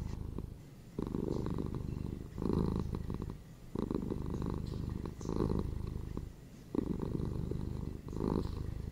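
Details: Domestic cats purring, two pet cats (a ginger male and a female) kept indoors; steady low rumbling purr in bursts of about one to one and a half seconds, alternating with quieter inhale phases, roughly every 1.4 seconds.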